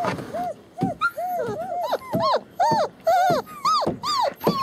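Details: Litter of German Shepherd puppies, born January 28, 2015, in Mayo, Florida, filmed February 21, 2015, whimpering together: overlapping arched, rising-then-falling whines and yelps from several pups, crowding in quick succession, some higher and brighter than others.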